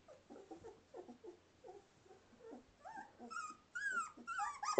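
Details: Samoyed puppies 2.5 weeks old, learning to walk and play indoors, recorded December 13, 2009: soft rapid grunting whimpers, then louder rising and falling whining squeals that build toward the end.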